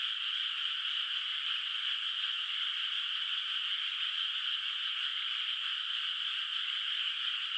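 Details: Night frog chorus drifting over a moonlit countryside rice field with open water before planting; a thick, steady high-pitched trilling wash with no gaps, individual callers blended together.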